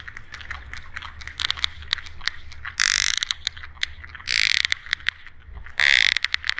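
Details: Coda echolocation clicks of a sperm whale: a steady train of crisp broadband clicks, broken by three loud bursts of fast, buzzing clicks spaced about one and a half seconds apart.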